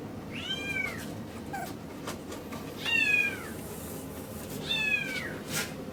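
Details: Miniature Schnauzer puppy, a male born 13 August 2015, kept at a pet shop in Yokosuka, Kanagawa, Japan: three clear, high whimpers that rise briefly then fall, about two seconds apart, against low room hum.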